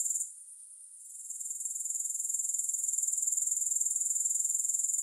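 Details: Grasshoppers in a long sleep and relaxation recording without music: a high, dense, shimmering buzz pulsing steadily, briefly dropping away near the start before building back to an even, continuous trill.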